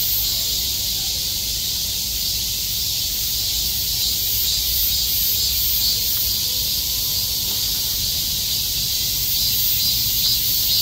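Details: Mass of cicadas clustered like bees, calling together in summer; an unbroken, high, sizzling wall of sound holds constant throughout, with only slight swells in loudness.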